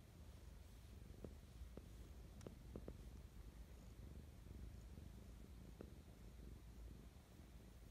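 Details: Loving morning purrs from Mischa the pet cat: an unbroken low rumble with light clicking sounds scattered through the first six seconds, recorded close and quiet.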